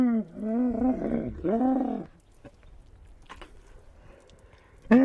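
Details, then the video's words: Camel uttering two wavering, throaty moans back to back, each bending down and up in pitch, then a quiet pause before a sharp new call begins. "Camel talk"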